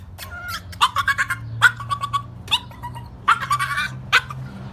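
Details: Small female dog making an unusual noise: a series of high, squeaky, tonal yelps and whines in short bursts, several quick calls clustered together, then pauses before the next run.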